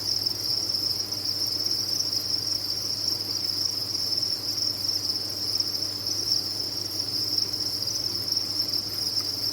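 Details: Crickets kept on a cricket farm, massed together in a dense, unbroken chorus of high, shrill chirping that holds one steady pitch throughout, over a faint low electrical hum.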